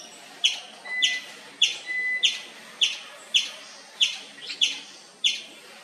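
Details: Indian palm squirrel in the wild repeating high, sharp chirps at a steady pace of nearly two per second, with faint thin whistled tones between some calls and quiet ambient hum.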